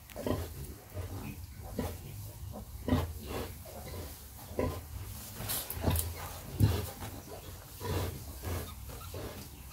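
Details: Sow suckling her piglets, producing a steady series of low, pulsing grunts roughly every second, mixed with soft squeaks and shuffling.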